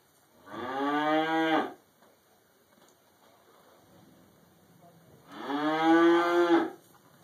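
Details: Cow munching hay in a barn, recorded on a mobile phone, gives two loud, rich moos about four seconds apart, each slightly rising then falling, with quiet barn noise between them.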